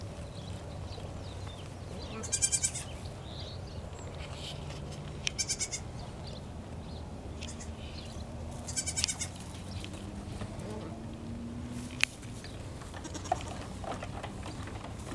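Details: Two-week-old Nigerian Dwarf goat kids running around their pen; three brief, high, harmonic bleats spaced a few seconds apart over a steady low hum and faint background rustling.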